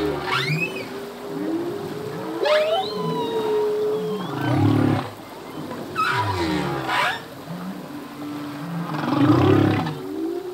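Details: A male humpback whale sings a full-length song whose phrases are learned anew each year. A sustained hum carries on while bright rising squeals and deep pulsed groans alternate, coming in bursts every couple of seconds.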